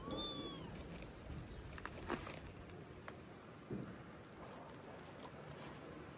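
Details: A domestic cat meowing indoors on a morning of 21 October; a single short, arched meow with stacked harmonics opens the recording, followed by steady low background noise and faint knocks.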